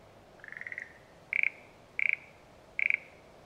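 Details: Satoyama frog giving one longer, drawn-out rattling note that swells in loudness, followed by three short, sharp pulsed croaks about two-thirds of a second apart. Quiet countryside backdrop.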